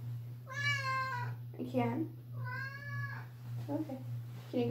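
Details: A pet cat meowing very loudly indoors, two long wailing harmonic meows followed by shorter lower mews, while a person talks nearby over a constant low electrical hum.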